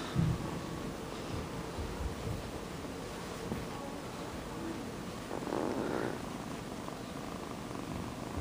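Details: Purring kitten Sonny with a loud motor, a steady low rumble held for the whole stretch, broken briefly by a soft breathy rustle in the middle.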